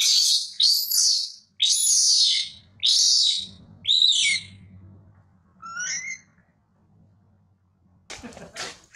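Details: Young monkey being weaned by its mother and crying loudly: several long, harsh, high screams in the first half, then a thin faint squeal and a quiet low hum before one last burst.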